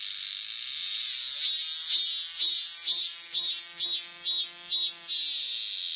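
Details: Cicada singing, a continuous shrill high buzz broken by eight evenly spaced loud pulsing beats roughly every half second, then settling back into the steady drone.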